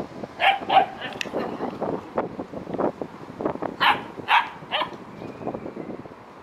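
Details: Djip, a female Korthals griffon with her litter on day 64, gives short sharp barks and yips in quick uneven bursts, roughly a dozen across six seconds, with soft shushing sounds and a murmured word in the background.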